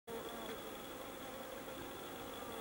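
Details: Leafcutter bees busy around a solitary bee house, giving a steady, dense buzzing hum with faint wavering tones drifting in pitch, over a constant thin high whine and broad background hiss.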